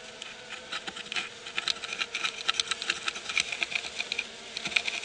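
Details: At night, as a skunk scratches a hive's landing board, honey bees give a dense, crackling buzz with scratchy, clicking bursts as guards fly out to defend the hive.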